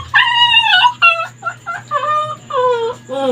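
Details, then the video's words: Labrador Retriever dog straining at its leash, seeming angry, just after urinating; high whistled whines with wavering, rising and falling tones in a rapid series of short cries, faint hum beneath. "Gusto niya kumawala sa tali, parang galit, umiiyak || LABRADOR DOG"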